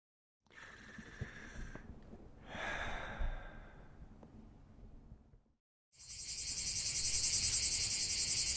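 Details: Cicadas singing in a nature relaxation recording: soft hissing buzz with a brief break, silence, then a loud, dense, high-pitched pulsing drone that swells and holds steady.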